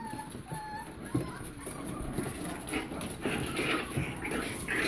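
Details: Chihuahua-mix by Pitbull-Bully puppies, 5½ weeks old, whimpering: thin, rising squeals mixed with rougher yelps, several pups calling at once against low rustling and hiss.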